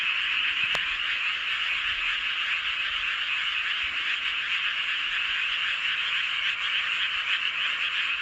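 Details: Full-moon frog chorus recorded in Seowon-myeon, Hoengseong, Gangwon-do, Korea; many overlapping rapid croaks merge into a continuous high buzzing roar, pulsing irregularly around three to four times a second, with a brief click near the start.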